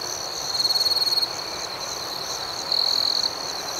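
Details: Crickets at night. A nearby cricket gives two loud, rapid pulsed chirp bursts, each about half a second long, over a continuous high-pitched background chorus of other crickets that pulses rhythmically.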